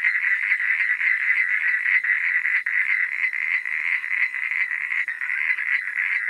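A dense night chorus of frogs, a steady, rattling drone of many overlapping calls.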